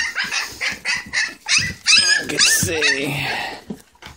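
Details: English Springer Spaniel puppies, a litter with champion bloodlines, gathered while eating puppy mash with replacement milk; thin, rising and falling whines and yips overlap a woman's voice talking to them.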